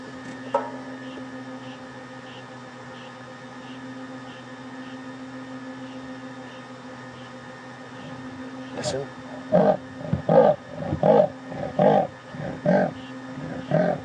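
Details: Leopard giving an unusual rasping vocalization during a morning safari drive at Djuma Game Reserve, March 2015; after a quiet stretch, a series of about eight short, harsh, evenly spaced rasps, roughly one every half second, over a steady engine hum.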